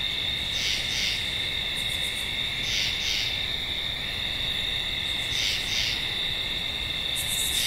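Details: Double-noted tree frog calls repeat three times, each a quick pair of rasping notes, against a constant high-pitched insect chorus with a short high trill near the end.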